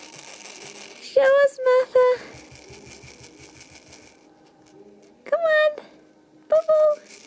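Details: A lamb gives short, quavering harmonic bleats in three bursts, two close together early on and another pair near the end, over a faint room hum and light rattling.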